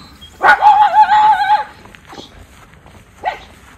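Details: Alert from a Miniature Schnauzer outdoors in Aroostook County, Maine, July 2022, warning his brother of someone nearby: one long, wavering, tonal howl-bark lasting about a second, followed by a short, sharp bark near the end.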